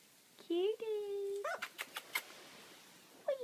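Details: Labrador Retriever puppies indoors: a long, high, steady whine that rises slightly and holds for nearly a second, followed by a run of sharp clicks and taps, then another short rising whine at the end.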